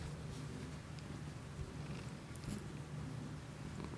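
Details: Domestic cat's purr recorded for ASMR on an iPhone using a new Shure MV88 external microphone; smooth, unbroken low rumbling pulse with barely any other sound.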